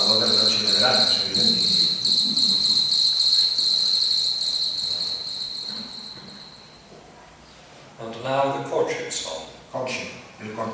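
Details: A house cricket song: a steady, high, shimmering trill of rapid pulses, made by rubbing the wings together, with a man talking over it. It is introduced as the calling song, with a distinct courtship song mentioned next.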